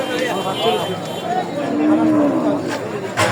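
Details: Cattle at a weekly cattle market in Bangladesh on 28-05-2025 before Eid: a drawn-out low moo swells near the middle, with faint talk and market bustle around it.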